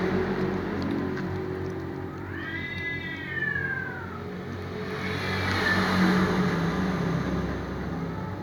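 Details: While a black cat eats fried fish, another cat is heard meowing: one long, drawn-out meow that rises then slowly falls, followed by a fainter second call, over a constant low rumble.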